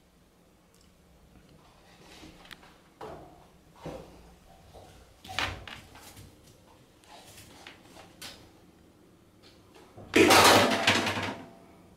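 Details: A cat paws at a hanger in a quiet room: soft knocks and taps, then a louder scraping clatter near the end. No animal calls are heard.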